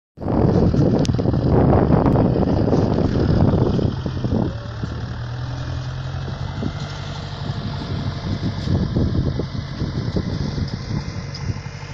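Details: A vehicle engine starts loudly and then idles steadily outdoors in a rural setting, with rattling and humming throughout.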